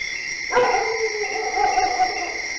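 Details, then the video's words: A single dog bark at night that stretches into a short, drawn-out whining tone, set against a continuous high-pitched background hum. "DOGS BARKING DURING NIGHT"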